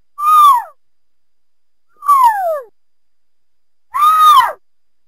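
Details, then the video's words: Cougar, also called mountain lion, giving three short arched calls about two seconds apart, each a clear harmonic tone that rises briefly then slides downward, with silent gaps between. "Cougar Mountain Lion Sounds"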